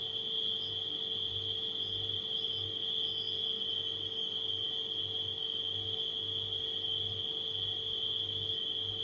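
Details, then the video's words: Crickets at night keep up a continuous shrill trill, with a few brief higher chirps breaking through, all layered over a steady low refrigerator hum. "Crickets & Refrigerator Humming Sound"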